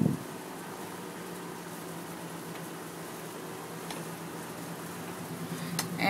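A steady sizzling, hissing background with a low hum fills the room, and no animal sound is heard.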